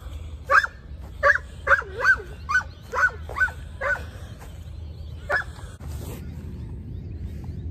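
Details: Giant Schnauzer barking during lure training, one of two dogs out together. Sharp, loud barks repeat rapidly, about eight in four seconds, then a pause and a single late bark, followed by a man's brief praise.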